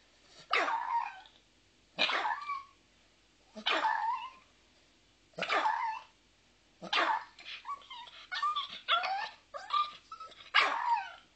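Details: Small pet dog with a cute little bark, yapping in short high barks roughly every one and a half seconds, then a quicker run of yips and whimpering barks toward the end.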